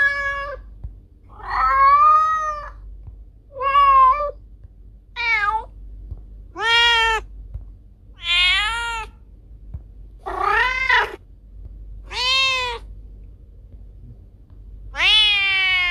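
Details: Cat meowing to scare off rats: a series of about ten loud, harmonic meows over sixteen seconds, several rising then falling in an arched shape, spaced one to two seconds apart, with a faint low hum underneath.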